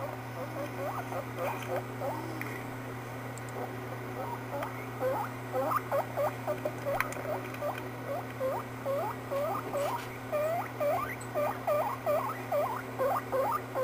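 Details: Pet guinea pig making squeaky sounds; rapid series of short rising whistled squeaks, about two per second, growing louder and more regular after a few seconds, with a steady low electrical hum beneath.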